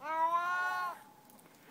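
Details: Adult male part-Siamese cat giving one long, tonal meow that holds level then drops off, followed by a short quiet pause and a faint knock at the end.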